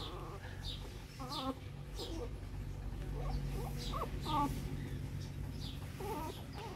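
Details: Shih Tzu litter of newborn puppies, recorded in 2014 as the mother tries to carry the puppies to a box: wavering, quavering squeaky whines repeat in short bursts, with steady low hum and faint clicks underneath.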